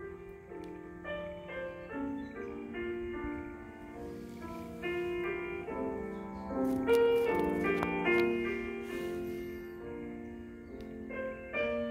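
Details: Soft, slow piano music with gently sustained notes in a quiet room; no animal sounds.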